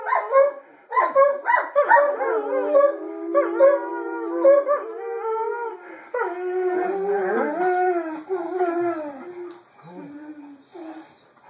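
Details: Pair of Borzoi singing together, one in front and one as backup, with long drawn-out howls that slide up and down, overlapping voices, short whimpering notes early on, and a fading, falling finish.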